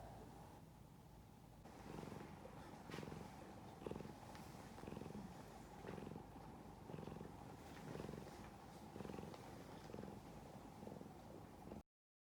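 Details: Cavalier King Charles Spaniel, a tricolour female named Rin, snoring loudly while asleep: rhythmic low rumbling snores repeating about once per second, each a buzzy swelling breath, with a steady background hum.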